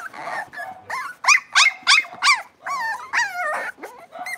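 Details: Blenheim Cavalier King Charles Spaniel puppies, a litter of five born at New Year, moved into a bigger pen; a run of high, sliding yelps and whiny yips, about three per second, with a few wavering whimpers.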